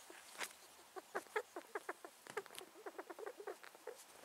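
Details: Pet male rat, possibly ill, making sounds; quiet, irregular bursts of short snuffling clicks and squeaky sneezes, several per second, with a soft rustling background.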